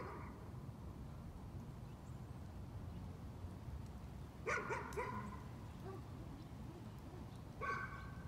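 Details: Dog caught in a bout of nuisance barking, sounding distant: a quick pair of sharp barks, a few quieter yips, then one more bark after a pause, all over a steady low rumble of background noise.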